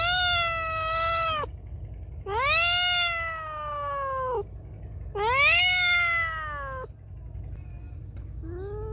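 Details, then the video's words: Loud, insistent meowing of a feral cat: three long, wailing meows about two seconds each, pitch arching up then drifting down, followed by softer short mews and low rumble. "Cat Meowing Loudly| Meowing Sound Effect Of Feral Cat"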